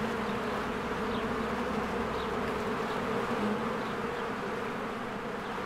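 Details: Honeybees swarming in and out of their hive in spring, with flowers blooming, filmed on a Canon EOS R: a dense, steady, low buzzing hum with little variation, plus a few faint high chirps in the background.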